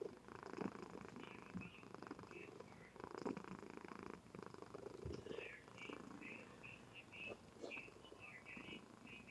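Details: Steady low purring from a female Somali cat sleeping indoors, captured by webcam. The rumble is grainy and evenly pulsed, with a few soft whispered words and scattered faint high chirps behind it.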